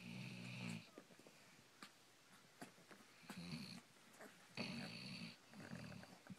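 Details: Basset Hound asleep indoors at a puppy slumber party, snoring in four low, rough, buzzy bursts of under a second each, spaced a few seconds apart, with soft breaths and small clicks between them.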